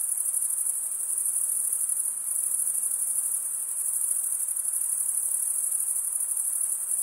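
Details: Male crickets stridulating in a constant, shrill, finely pulsed trill that never breaks, with a soft background hiss.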